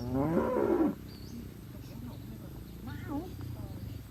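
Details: Cattle from a grazing herd in a green field: a short, loud, nasal bellow of under a second, followed by quiet low rumbling and a few faint wavering calls.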